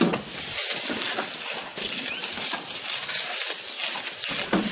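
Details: A goat chewing food close to the microphone gives a continuous hissy rustle broken by crisp crunching bursts, some fuller chomps near the start and end.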